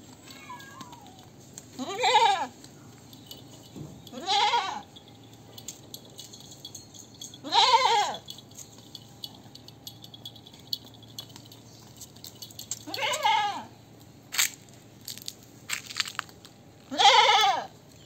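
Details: Goat bleating at irregular intervals, five wavering nasal calls over eighteen seconds, with clicks and small knocks between them.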